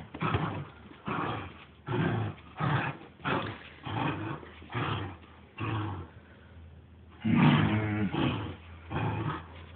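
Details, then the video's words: Deep, gravelly growls from Saint Bernard Ossian playing tug with his owner, pulsing roughly once a second, ending in a louder, more voiced roaring burst. "GRRRRRR Ossian, The Saint Bernard & Dad playing Tug"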